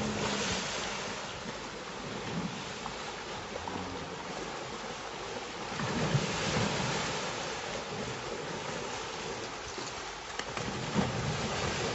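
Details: Steady wind buffeting the microphone over a broad outdoor rush, with no animal voice heard.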